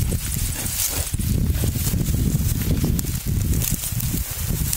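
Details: Wild boar in the wild, a male courting a female sow: a stretch of deep, rough, rapidly pulsed grunting stays low and continuous, with rustling and trampling sounds mixed in.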